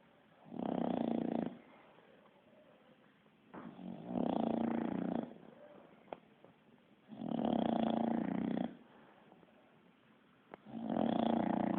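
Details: Bulldog asleep and snoring like a person: four drawn-out, rattling snores of about a second each, coming roughly every three seconds, with soft breathing between them in a quiet room.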